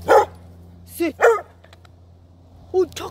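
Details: Black female Labrador-Coon Hound mix dog named Chaco, being teased alongside Mocha on a clear October day, gives short sharp barks in two bursts, a lone bark then a quick pair, with a person speaking Korean between them.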